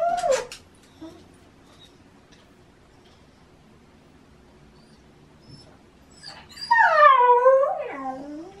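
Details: Shiba Inu named Baku calling early on an autumn morning, pestering for a walk: a brief high whine at the start, a long quiet gap, then a loud drawn-out wavering cry that bends downward near the end.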